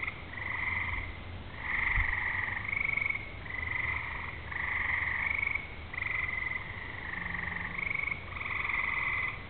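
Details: Frogs singing on a summer evening before rain, fireflies flashing, thunder off in the distance: a steady run of bursts of rapid pulsed trilling, each about a second long, repeated with short gaps over a faint low rumble.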